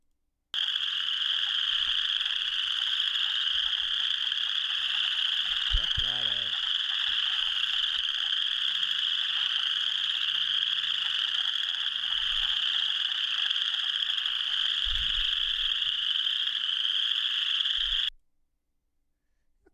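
A dense chorus of western chorus frogs, their high rasping trills blending into one continuous creaking drone.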